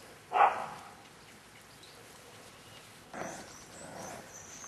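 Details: Staffordshire Bull Terrier puppies, 38 days old, from litter K at the Staff Komas kennel, recorded 20 September 2010; a sharp, loud yelp near the start, then a softer, longer whimpering cry a few seconds later against quiet background hiss.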